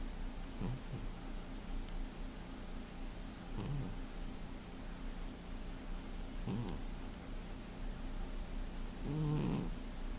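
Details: Domestic cat sound asleep and snoring, February 2015: soft, low rasping snores spaced about three seconds apart, the last one louder, against a constant faint hum.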